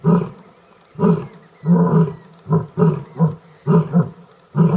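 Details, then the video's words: Lions mating in the Gir National Park forest, Sasan Gir: a steady series of deep, short grunting roars, about eight in under five seconds, coming faster toward the end. "Lion mating |incredible video |Lion Roaring"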